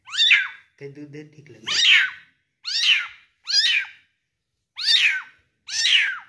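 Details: Kitten aged one month, being fed in a small room, cries again and again with piercing, high-pitched mews that rise then drop, roughly one each second, and a brief murmur of a human voice between the first cries.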